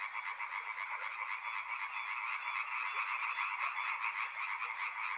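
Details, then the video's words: Riverside frog chorus: countless croaks overlap into a continuous, pulsing drone, with quick irregular throbs about four per second and faint thin whistles floating above. "Frog Sounds | Soothing sounds of river and frogs"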